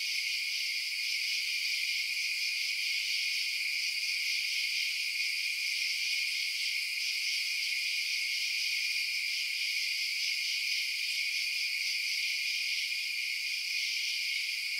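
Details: Crickets chirping through the night in a constant, high, buzzing chorus that holds level and unchanging from start to finish, no other sounds present.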